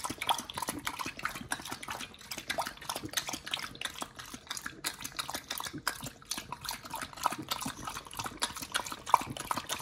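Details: Raw-fed Pit Bull Nomyen working through mussels, beef tripe, liver and chicken: continuous wet, squelching chews and slurps, dense and irregular, in a quiet room.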